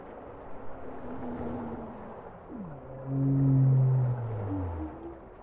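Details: Bowhead whale song: a wavering low tone, then a sharp falling sweep into a loud, steady, deep harmonic moan that slowly slides lower, with fainter overlapping tones and a soft underwater hiss.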